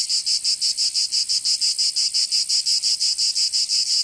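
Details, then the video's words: Cicadas singing in summer in Provence, southern France: a dense, buzzy high-pitched drone pulsing in rapid regular bursts, about three per second, with no other sounds. "Canto Cigarra"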